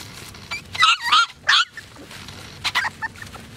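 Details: Poodles registered with the AKC let out a tight cluster of loud, harsh yelping barks, then a few softer, higher yips after a brief pause.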